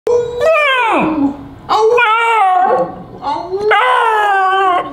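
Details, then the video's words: Expressive pet beagle "speaking" with three drawn-out, harmonic howl-like calls, each sliding downward at the end, the first lasting about a second and a half, separated by brief pauses. "WHEN BEAGLES SPEAK..."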